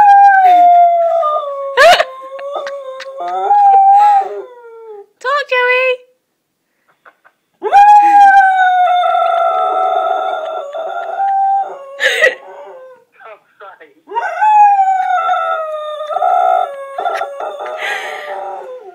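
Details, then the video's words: Domestic dog howling into a phone, loud sustained wavering howls that swoop upward and hold steady, broken by short gaps and a sharp yip, with faint human voices underneath. "Phone Howler"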